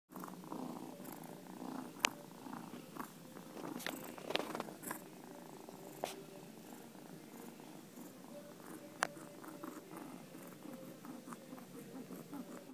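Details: Male barn cat rescued from an old barn, once suffering fleas, ear mites, roundworms and a respiratory infection, now content indoors and purring: a soft, continuous low rumble with gentle pulsing and a few sharp clicks and taps.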